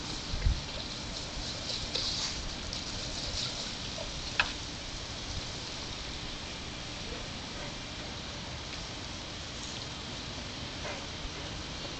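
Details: Steady hiss of a water sprinkler on a hot day with a few faint knocks and splashes, no animal sounds heard.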